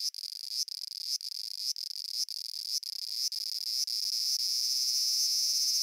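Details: A cicada from Japan produces a high, thin buzz broken by brief clicks about every half second, the breaks fading out until the tone runs continuously.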